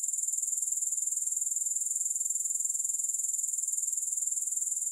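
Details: Unbroken grasshopper stridulation without music: a shrill, very high-pitched chirr that throbs in quick, even pulses, about four each second, throughout.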